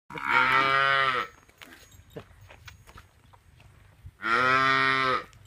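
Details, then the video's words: Punganur calf mooing: two loud, drawn-out, nasal moos of about a second each, rich in harmonics, separated by a three-second pause with quiet background noise. "PUNGANUR CALF"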